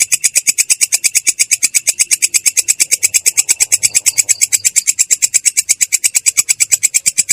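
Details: Katydid (belalang kecek) singing in the continuous rolling ngerol style, described as clear yet coarse: dry, harsh, evenly spaced buzzy pulses at about seven a second, steady throughout with no other sounds.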